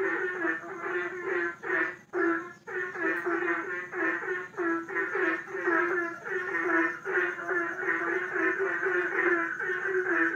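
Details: Many frogs calling together in a pond, a dense chorus of rapid, pulsed croaks overlapping continuously, with a brief pause just after two seconds and a faint steady high whine throughout.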